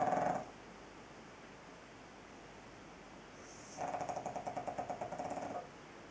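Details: Pug snoring indoors: a brief snort at the very start, then after a quiet pause a rattling, rapidly pulsed snore lasting close to two seconds.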